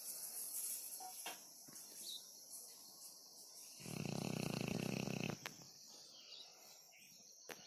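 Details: Sleeping dog snoring: a single long, rough, broadband snore lasting about a second and a half, with quiet room noise before and after.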